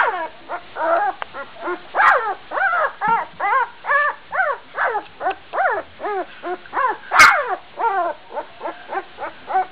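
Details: Gordon Setter pup, twelve days old, barking while running around as its littermates try to sleep: a steady run of about twenty high, arched yips, roughly two each second, with one sharp yelp near the end.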